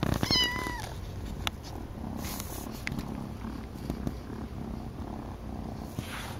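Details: Idle purring from Malcom, a house cat whose resting purr matches other cats' strongest: a short rising-falling chirp-like meow opens, then a low, pulsing rumble continues evenly with faint clicks and handling noises.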